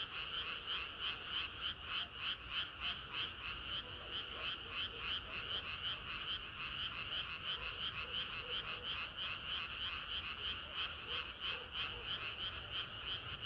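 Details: Many frogs croaking together on a hot summer night, a thick, throbbing chorus of quick repeated pulses near three per second, with occasional softer lower notes and a low background hum.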